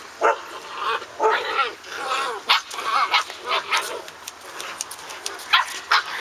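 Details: Six-week-old Standard Poodle puppies playing outdoors, several together: a steady run of short, high, tonal yips and whiny little barks, coming about every half second, with a woman's voice chatting and laughing over them.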